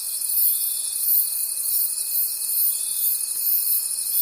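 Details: Night-time forest crickets give a shrill, high, shimmering chorus pulsing in regular waves about twice a second, with a faint continuous whining tone underneath.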